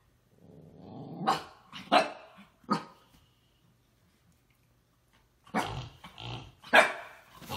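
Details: A miniature Siberian Husky gives rough, growly play barks in short bursts during a play game, then falls quiet before barking again.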